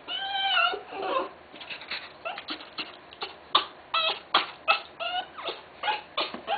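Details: During a Tenterfield Terrier's birth in Japan: a long, wavering high whine opens, then quick irregular squeaks and chirpy yelps come close together, almost three per second, in a small quiet room.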